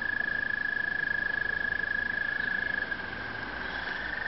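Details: Toads giving breeding calls at Brookside Gardens: a steady, long musical trill held on one pitch for about three seconds, then fading and shifting slightly, over a low background rumble.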